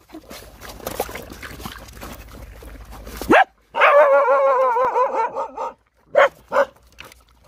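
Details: After several seconds of rustling and clicks, a hungry nursing Rottweiler puppy lets out a drawn-out, wobbling whine, followed by two brief sharp yelps.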